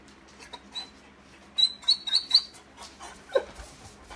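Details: Tibetan Mastiff puppy Cleo, a spoiled pet, upset when a family member leaves without her. She gives thin, high-pitched whines, a quick run of short squeals packed together in the middle, then a lower yelp near the end.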